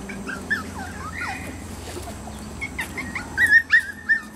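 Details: A male Pomeranian, filmed with a male toy poodle, gives thin, high whines and a run of short, sharp whimpering yips.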